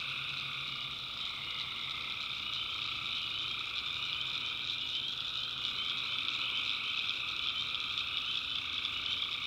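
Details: Many tree frogs calling together at night in a North Carolina backwoods swamp, producing a constant high, rattling trill layered over a lower steady drone, the mass of voices never pausing.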